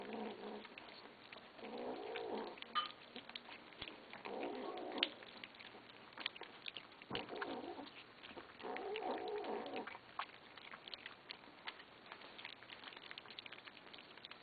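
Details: Kittens growling at one another while they eat after begging for food; several harmonic, wavering growls of a second or two each, separated by clicking and pattering eating noises.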